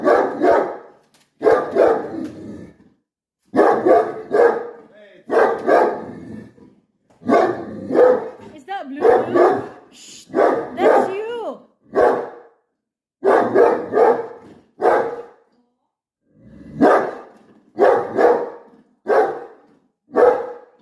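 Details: A dog barks repeatedly at his reflection. Short, harsh barks come in clusters about once a second across the whole stretch. A person's voice is mixed in, calmly talking to him.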